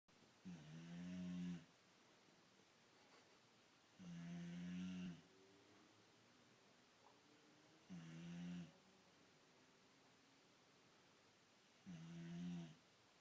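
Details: Overweight old Boxer bitch snoring loudly while asleep: deep, rumbling snores about a second long, repeated roughly every four seconds with quiet breathing between.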